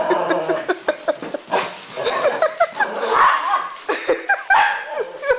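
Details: Indoors, a puppy keeps bothering an older seven-year-old dog; a jumble of short yelps, whines and squeaky barks follows in quick bursts, with faint human voices mixed in.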